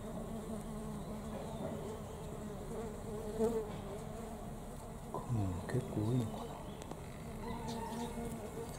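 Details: Many honey bees visiting knotweed blossoms at a home in Thailand: a continuous low, rough buzzing drone with several short louder surges as bees fly close, and a faint background hiss.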